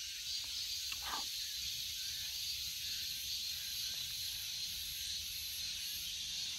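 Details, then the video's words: Cicada giving a continuous, even, high-pitched buzzing drone that holds steady without pauses for the whole stretch, with a faint brief lower sound near the start. "Cicada 매미"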